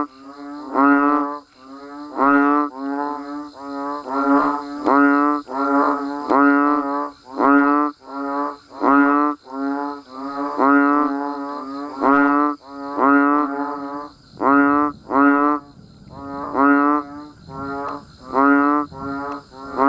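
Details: Frogs and banded bullfrogs calling during rainfall: a dense run of low, moaning, harmonic honks following close on one another from multiple animals, with a soft hiss of rain underneath toward the end.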